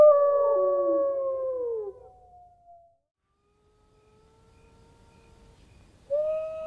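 Several wolves howl together in long, smooth, drawn-out tones that slide slowly downward.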